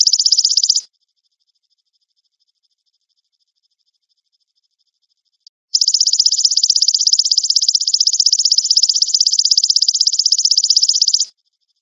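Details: High, shrill insect buzz from a golden grasshopper, used to train white-rumped shamas to sing: a burst ends within the first second, near-silence follows for about five seconds, then a steady pulsing buzz lasts about five and a half seconds.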